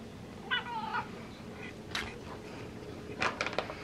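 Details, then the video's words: Female house cat begging for tuna fish indoors gives one short, bent chirping meow, then quiet taps and clicks while a person talks gently nearby. "Cat Meows and Chirps for Tuna Fish"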